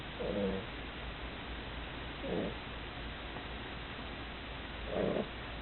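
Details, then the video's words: A female pug, worn out from play, snores in her sleep: three short, breathy, rasping snores roughly two to three seconds apart, muffled and faint against constant low hiss. "Snoring of the pug（パグのいびき）"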